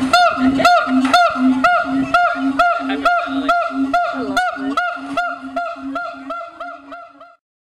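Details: A siamang at Honolulu Zoo in 2012 gives loud, honking barks, about two each second, in a steady series that fades out.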